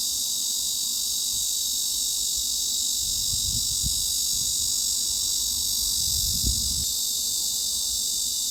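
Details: Cicada song as a mid-high frequency masking sound for tinnitus, a constant sharp buzzing hiss without rhythm, over soft low rumbling bursts midway and later.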